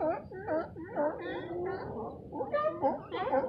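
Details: A large crowd of California sea lions, unusually hauled out on the beach at Moss Landing, California, possibly because of storms, barks and honks with hoarse, wavering, overlapping calls.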